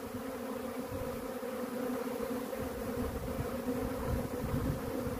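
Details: Swarming honey bees produce a constant thick droning buzz, even and sustained throughout, with a clear low tonal hum and a softer band of higher overtones, no other sounds standing out.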